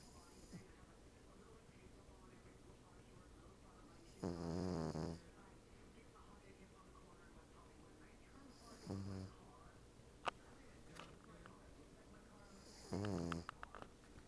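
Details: Lacey, a female Cavalier King Charles Spaniel, asleep on the back of a couch beside a napping Siamese cat: three rumbling, low snores, one roughly every four to five seconds, each lasting about a second, in a quiet indoor room.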